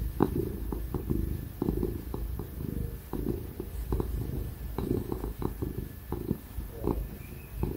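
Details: Ginger cat Tig purrs while getting pats and cuddles, a low vibrating rumble pulsing with each breath, broken by frequent soft clicks from handling, over the background hum of a laptop computer fan.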